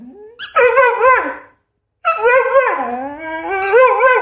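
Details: Pet dog giving two drawn-out, howling whines: the first climbs then wavers, and after a short silence the second dips in pitch before holding a steady, slightly wobbling tone.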